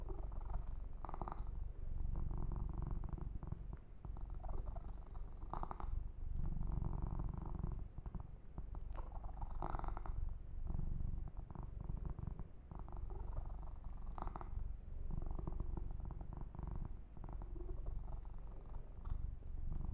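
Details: Yumak, a young male kitten, purrs steadily under a massage with fur grooming; deep pulsing rumble across the whole stretch, punctuated by repeated crackly strokes of hands through fur.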